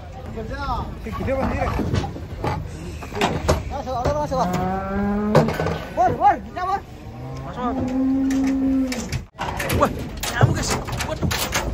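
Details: Cattle being unloaded from a truck, with a calf present; several drawn-out moos, some rising and falling, one long steady low moo near the end, over men talking, clattering and vehicle noise.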